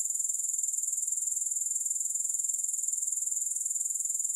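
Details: Grasshopper sound: a constant, very high sizzling trill with closely spaced, evenly repeated pulses throughout, nothing else audible.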